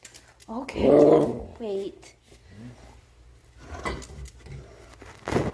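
A pit bull makes wavering, grumbling whines to ask for food, while a person speaks nearby.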